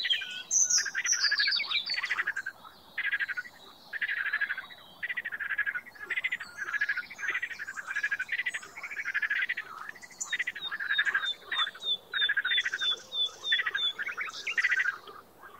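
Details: A frog calling in bursts of rapid clicking pulses, each burst lasting about half a second and repeated almost without pause, with a few higher chirps and a thin whistled trill near the end.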